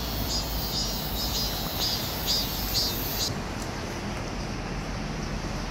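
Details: A cicada on a tree, recorded very close in July 2018 in Seoul, South Korea, sings a steady, high-pitched buzz with soft pulsing, then stops abruptly about halfway through, over a constant low rumble like traffic or wind.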